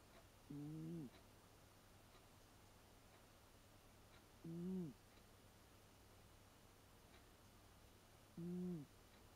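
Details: Eight-year-old American Shorthair Leo snoring in a moaning "uun-uun" pattern, filmed on a Panasonic LUMIX DMC-TZ7: three low, slightly rising-and-falling droning breaths spaced about four seconds apart, with quiet hum behind.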